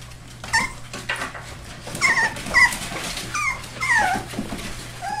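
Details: Four-week-old Labrador and hound mix rescue puppies indoors in Maryland: a run of high, falling whimpers and squeaky yelps repeated about once a second from several pups, with rustling and a steady low hum.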